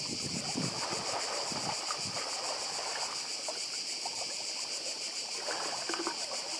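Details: Cicadas on Badija Island, Croatia, 2024, a steady high shimmering chorus with a fast regular pulse, over a broad rush of sea surf and lapping water.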